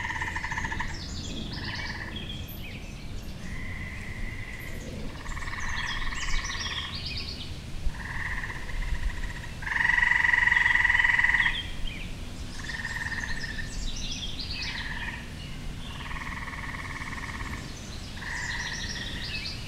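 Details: Tree frog calling in a backyard in springtime: a series of bright, buzzy trills, each lasting about a second and repeated with short gaps, with one longer, louder trill in the middle and steady low background rumble.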